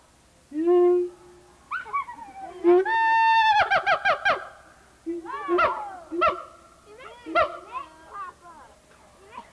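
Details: Noisy siamang gibbon, Memphis Zoo, 1990, taped on VHS: a low steady hoot, then a rising whoop leading into a fast run of loud barks, followed by wavering hoots and further barks.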